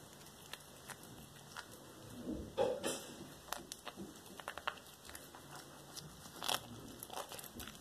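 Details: Black tabby cat devouring a whole small rat indoors: irregular wet crunches and sharp biting clicks, louder bursts around the middle, with a steady faint electrical whine behind.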